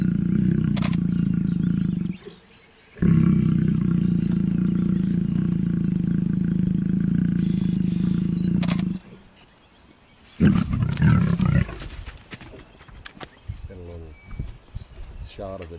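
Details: Mating lions at MalaMala producing a long, low, continuous growl of about six seconds after a brief opening rumble. A short snarl follows, then rustling and faint human activity.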